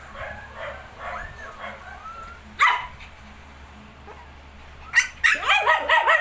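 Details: Shih Tzu puppies nineteen days old, giving thin high squeaky whines early on, then a burst of sharp yips and small barks toward the end, with some human voice nearby.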